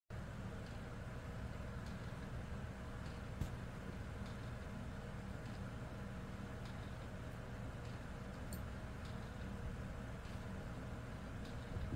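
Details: Steady low rumble of road traffic and engine noise with faint scattered clicks; no animal sounds are heard.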